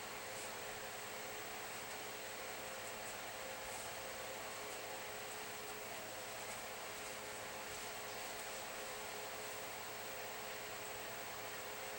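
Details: A steady indoor hum, like a fan or hair dryer, runs throughout with no animal voice.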